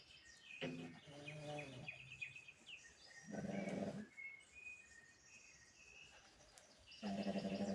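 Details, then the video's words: Pug asleep, letting out raspy, buzzing snores in three longer bursts spaced a few seconds apart, with quick high bird chirps and tweets scattered between them. "The day in the life of my dog snoring. Pugtacular"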